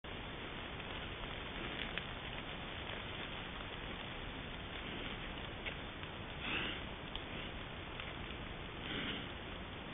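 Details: A wild boar (Sus scrofa) smelling a person's scent at a trail camera sniffs close by in short, breathy snuffling bursts over a steady background hiss.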